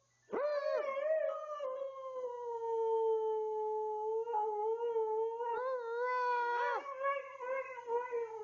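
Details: Family-room howling from Tuscany, a 12-year-old Siberian Husky: one long drawn-out howl rising sharply at the start, holding a steady tone, then wavering and climbing again in yodel-like breaks near the end.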